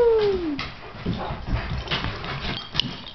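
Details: Two Great Danes, a foster named Nick and a companion named Rylee, playing together on a couch indoors; one high whine slides downward over half a second, followed by soft scuffling, rustling and thumps of the dogs' play.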